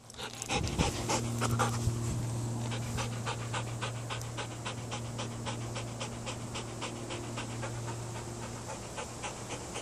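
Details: Loki, a 19-month-old Belgian Malinois, pants during an obedience session: quick regular breaths of about three or four a second, steady throughout, after an opening clatter, with a constant low electrical hum.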